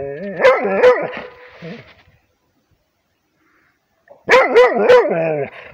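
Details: A Rhodesian Ridgeback, prompted by barking from its owners, gives two quick bursts of loud, tonal barks separated by a pause.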